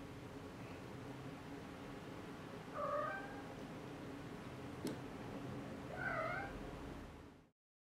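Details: Exotic Shorthair cat with her 4-week-old kittens in a car: two short, faint mews around three and six seconds, each a brief wavering tone, over a steady low rumble of engine and road noise.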